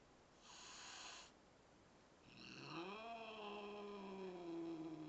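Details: Domestic cat growling, apparently unhappy with a newly arrived kitten: a short high tonal sound first, then a long, low, drawn-out growl that slowly bends down in pitch and holds steady for about two seconds in a quiet room.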